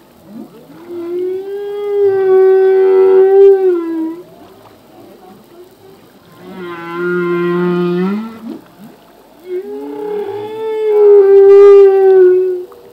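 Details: Humpback whale song from a male, full-length underwater recording: long moaning tonal units with rich harmonics, each swelling over about three seconds, three phrases separated by quieter gaps.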